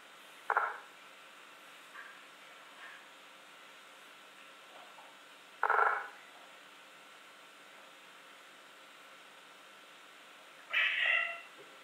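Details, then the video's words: Cat making communication sounds indoors: three short, loud meow-like calls about five seconds apart, the last one higher and more strained, with steady background hiss between them. "Kaip katinai bendrauja ( katinų garsai )"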